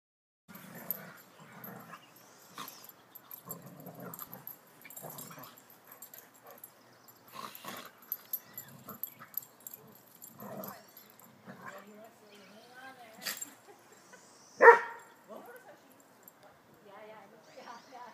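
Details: A West Highland White Terrier, Snowy, at play with a friendly mixed-breed visiting dog: faint, scattered growls, snuffles and huffs throughout, with one sharper yelp near the end.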